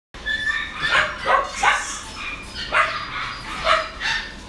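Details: West Highland White Terrier at a pet shop in Kawanishi, Japan, giving short, high yipping barks, about seven in four seconds, at an uneven pace, with a light background hum.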